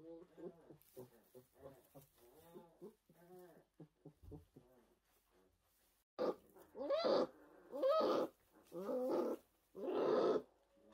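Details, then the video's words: Newborn orphaned brown bear cubs in a rescue centre in 2023: a run of quick rhythmic murmuring pulses, then four loud, harsh, wavering bawls about one second apart. "Meet the 2023 Orphan Brown Bears"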